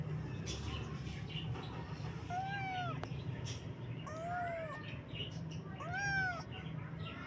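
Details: Three short, downward-curving kitten meows, each one brief and bright, spaced a couple of seconds apart over a steady low humming background noise.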